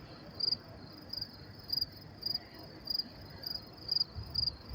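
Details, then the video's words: Crickets chirping at 10:30 p.m. in New York City on May 28, 2024, in pleasant weather: bright high trills in short pulsed bursts, repeated roughly every half to one second, over a low background hum. "sound of crickets chirping"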